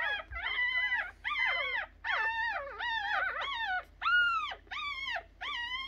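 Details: Newborn puppies, three days old, giving repeated squealing whines that bend up and down, some cries overlapping into a wavering chorus, roughly eight calls spaced under a second apart over a faint low hum.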